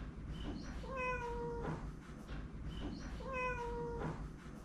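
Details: A tabby cat, after running on a cat wheel, gives two clear meows, each a slightly falling tonal call with rich harmonics.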